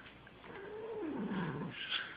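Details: Female pet cat protesting while being brushed, giving a drawn-out low moaning yowl that slides downward in pitch over about a second, followed by faint rustling.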